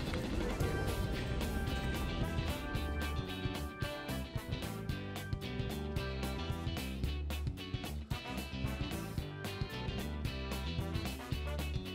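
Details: Loud, dense music with a strong beat fills the whole stretch, with no animal sound standing out.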